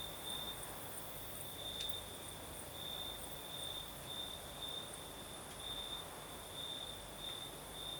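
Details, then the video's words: Southern Crimean night with crickets singing and a gentle breeze; a high, pulsing chirr repeats in short bursts roughly every half second, one sharp click partway through, over a steady airy hiss. "Звук ночи. Юг. Крым. Сверчки поют. Ночной бриз."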